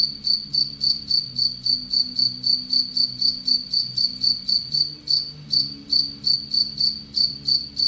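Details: Anadrymadusa retowskii, an aggressive tettigoniine held in captivity with Egyptian locusts, sounds thin high-pitched chirps repeated around three to four per second, with one brief pause, against a low background hum.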